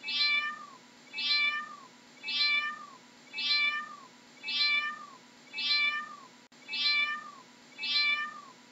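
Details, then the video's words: Eight matching meows from a cat, evenly spaced roughly every 1.1 seconds, each a clear nasal cry that falls in pitch at its end, over a faint low hum. "How does a cat sounds"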